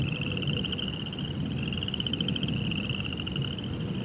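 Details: Crickets at night producing a continuous rapid pulsing trill, high and nearly level in pitch, with a softer lower layer of pulses and steady low-frequency rumble throughout.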